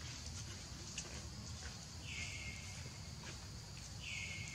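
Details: Baby monkey Leo crying as it begs its mother for milk: two high, thin squeals that slide downward, one near the two-second mark and another near the end, over a steady low rumble of background noise.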